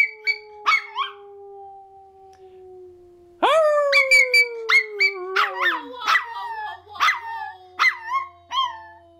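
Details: A Toy Fox Terrier puppy sings along with people, howling in thin, wavering yips that rise and fall over a long steady human tone and music.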